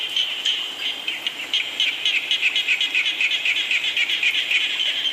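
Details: Chorus of frogs calling during rainfall, made of quick repeated chirping pulses, roughly four each second, blending into a continuous high, shimmering drone from many overlapping animals.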